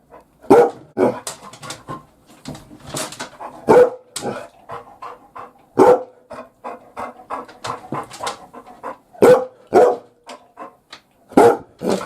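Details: Labrador Retriever acting as a house watchdog from the bath while being shampooed, giving loud single barks spaced roughly every one to two seconds, with softer panting and huffing sounds between them and splashing noises.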